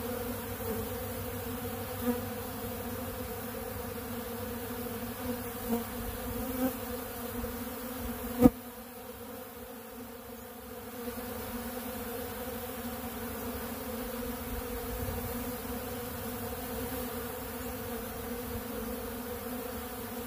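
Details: Honeybees feeding on ultra bee pollen at a big blue pollen feeder, a steady droning hum of many bees with low harmonic bands, a few brief clicks and knocks, and a short quieter dip midway.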